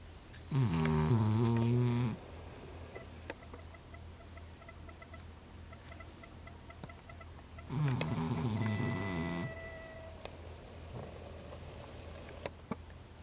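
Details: A Cavalier King Charles Spaniel snores very loudly in two long, rumbling breaths with quiet pauses between.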